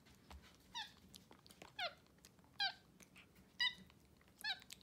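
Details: Two pet capuchin monkeys sharing morning oatmeal in bed indoors: a series of five bright, slightly falling squeaky chirps, roughly one each second, between a woman's quiet coaxing voice.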